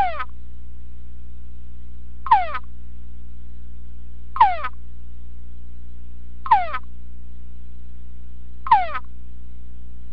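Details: Male túngara frog calling in a sound-proof box during an evoked vocal response test with played conspecific chorus: a series of five falling, harmonic whines spaced about two seconds apart, steady low droning hum throughout.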